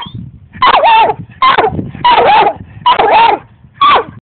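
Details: A dog named Barkley gives five drawn-out, whiny barks at the cat, each with a wavering, slightly falling tone, about one per second.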